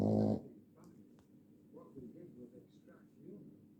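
A Boston Terrier snores softly, each breath a low, gravelly rattle with faint snuffling. A short, loud burst opens the recording before the steady rumble of snoring takes over.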